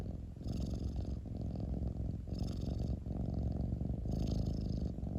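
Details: Cat rumbling purr, a dense low vibration that never stops, marked by three hissing breaths spaced about two seconds apart.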